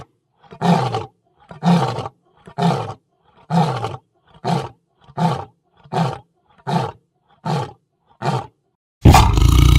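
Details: Lion giving a series of ten deep, grunting roars, evenly spaced about once a second, each short and rough. A sudden loud burst of noise follows at the end.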